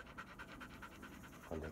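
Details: Short burst of even, rapid panting from Bee-chan, a shedding black Labrador Retriever being brushed on a hot day, roughly five breaths a second, ending with a soft bump.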